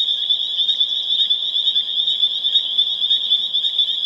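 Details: A loud, close chorus of spring peeper frogs on April 27, 2011, in Harvard, Massachusetts: piercing high peeps overlap into a continuous ringing sound with quick, throbbing swells in volume.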